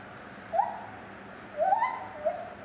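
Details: Captive lar gibbon at Safaripark Beekse Bergen, recorded 9 July 2021: one brief rising whoop, a pause, then a louder climbing hoot and a short final note, moderately quiet.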